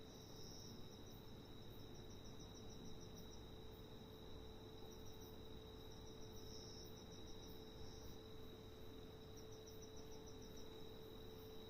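A locust gives bursts of rapid, high scratchy pulses over a steady background hum.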